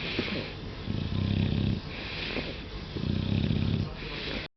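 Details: Angus the English Bulldog, contented during a scratch, gives two long rumbling, purr-like snorts of about a second each, deep and rasping, separated by wheezy breaths.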